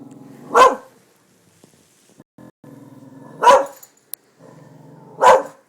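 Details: Darby, a pet dog stirred up by construction workers at new buildings, gives three loud sharp barks about two to three seconds apart, with low growling between them.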